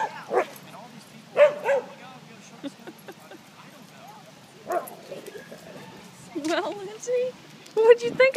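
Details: Pet dog named Lindsey, which does not know how to play, yelping and barking excitedly while watching others play; short sharp barks and higher whining yips in scattered bursts, with a person talking over and between them.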